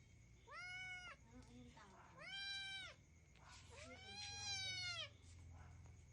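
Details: Hungry kitten in Cambodia clinging to its owner's shirt and begging for food at feeding time; three loud, drawn-out meows, each about a second long, arching up then falling, with faint background noise.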